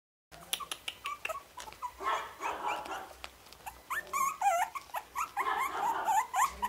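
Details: Orange-cream Pomeranian puppies, born 31 July, yip and whine in quick, high-pitched bursts, several each second.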